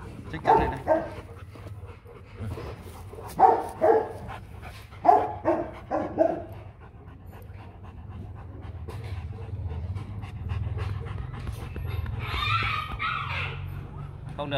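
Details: Rottweiler guard dogs barking in spaced bursts of deep, resonant woofs during the first six seconds, followed by steady low panting and rumble, with a brief voice near the end.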